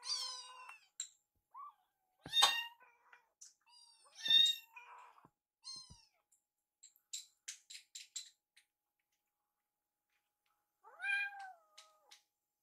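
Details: Two rescued foster kittens, Yuki and Piyo-chan, begging for food as they follow a woman preparing their warmed wet Kalkan meal in a kitchen; high harmonic meows, some sharp and rising, separated by short pauses, with clicks and kitchen clatter.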